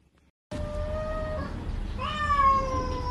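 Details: Domestic cat from a funny compilation gives two drawn-out meows: a level, steady first call of about a second, then a louder second one that jumps up in pitch and slowly sags, over a low rumbling background.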